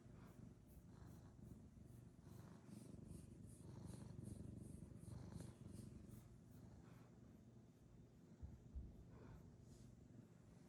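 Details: Eighteen-year-old elderly cat purring indoors: a soft, steady low rumble running throughout, with faint rhythmic breathing pulses and a small bump near the end.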